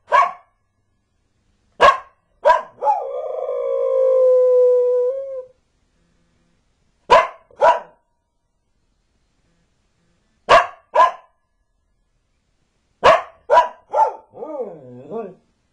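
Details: Border Collie named Magpie barks and howls: clipped barks in groups of two or three separated by pauses, one long steady howl of about three seconds, and a closing wavering, undulating howl that slides down and up.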